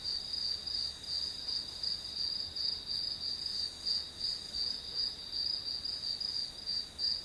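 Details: Grass insects heard as study-session background sound: high, thin chirps pulsing in a rapid even rhythm, close to three per second, with a faint fainter chirper behind and otherwise quiet surroundings.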